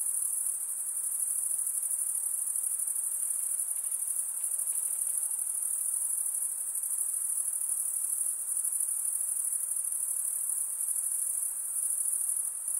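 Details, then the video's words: Night-time insect calling, a constant high-pitched trilling chorus with fast, shimmering pulses, holding steady in loudness from start to finish. "night insect sounds"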